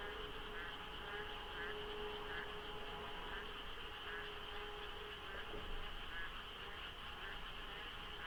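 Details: Monsoon-season dawn at the Deokso interchange expressway, light fog, traffic thin: a dense frog chorus of overlapping rhythmic croaks, its size impossible to gauge, with a brief louder swell near the end over a low rumble and a steady high tone.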